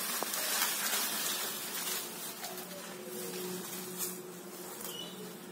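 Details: Small bees and mountain bees buzzing: a steady low hum with a fainter overtone surfaces midway through a strong background hiss and holds for about two seconds, with a few faint clicks.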